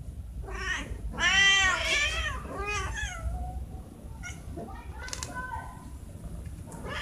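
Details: Cats meowing during a morning feeding when they want food: a loud, bending meow followed by shorter falling meows, then scattered faint clicks and rustling indoors.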